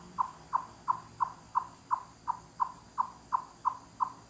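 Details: Chipmunk's loud knock-knock cluck call, which carries far through the forest. A short run of crisp hollow clucks, close to three per second, in a quiet background.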